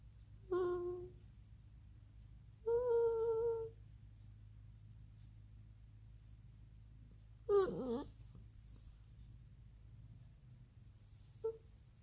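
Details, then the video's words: A pet dog indoors begging to play outside: high, tonal whines and whimpers in short separate bursts, some steady and some sliding, with a low constant hum beneath throughout. "Dog making funny sounds"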